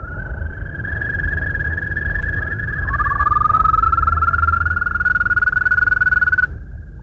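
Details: European green toads in Bulgaria, insect-eating pest controllers, give long, steady, musical trills; a second toad joins midway, its trill rising slightly before both run on together over a low rumble.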